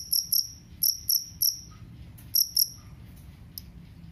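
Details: Cricket known locally as jangkrik kalung, its sound used as a rat repellent: short shrill chirps in small pairs and clusters, broken by a pause of about a second, over quiet low background rumble.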